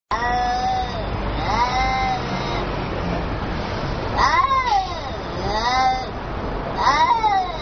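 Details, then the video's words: Two angry cats calling back and forth, drawn-out wailing meows that rise then fall, several in a row with rich harmonics, roughly every one to three seconds over a steady background hiss. "Communication Between Two Cats"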